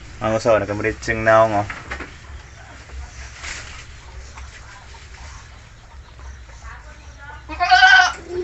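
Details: Native goats eating molasses: two loud, quavering, tremulous bleats in the first two seconds, a quieter stretch with low background hum, then another strong wavering bleat near the end.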